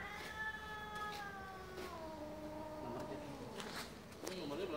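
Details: Cats mating in broad daylight in Kasongan, Indonesia: a long drawn-out caterwaul, a tonal wailing howl slowly falling in pitch over about four seconds, with a person's voice nearby.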